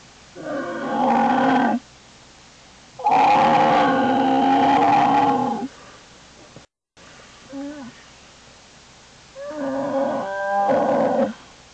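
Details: Fussing American black bear cub inside a den, January 2012: repeated harmonic bawling cries, each lasting one to three seconds, with the loudest in the middle, followed by quieter broken squalls and a final rising wail.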